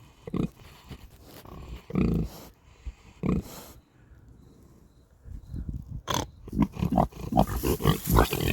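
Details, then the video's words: Napping pigs on a farm snore in rough, low grunting bursts, a few spaced early on, then a quicker run of breathy snorts near the end, with short quiet gaps between. "Snoring Pigs"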